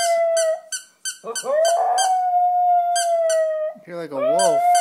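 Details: A pet dog howling at a squeaky toy: a long steady tonal howl rises from a short scoop while the toy squeaks in rapid bursts, then a wavering howl returns near the end, with a person talking.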